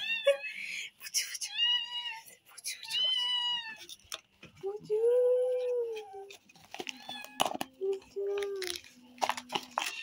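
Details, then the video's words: Hungry kittens indoors being fed cheese, mewing repeatedly in high, short, slightly arched meows, several overlapping, with a lower drawn-out cry midway and a woman's voice talking between them. "Hungry cute kittens have to eat cheese"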